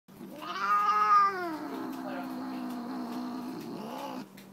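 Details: Tammy, a female Siamese tabby cat, protests while her nails are clipped indoors: one long drawn-out harmonic yowl, loudest and highest in the first second, then sinking to a lower steady wail for about three seconds before stopping.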